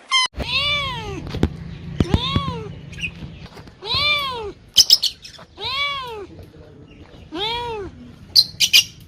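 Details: A cat meowing repeatedly, about six arched meows that rise then fall, spaced roughly every one and a half seconds, with sharp clicks and thuds between them and a low background hum.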